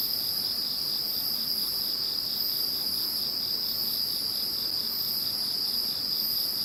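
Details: Insects calling after Typhoon No. 21 has passed: a steady high ringing trill holds throughout, with a softer pulsing buzz beneath it and a wavering shimmer higher up, all continuous and even in loudness.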